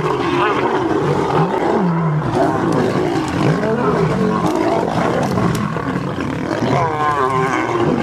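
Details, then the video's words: Three male lions and a pride with cubs in a knock-down fight on a sunrise safari, August 11. Sustained rough roaring and snarling, overlapping voices, with a sharp wavering growl bursting out toward the end. "Birminghams And Nkuhuma have a ROARING fight"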